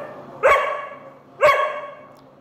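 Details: Doberman puppy arguing for snacks, giving two sharp, clear barks about one second apart, each falling off quickly.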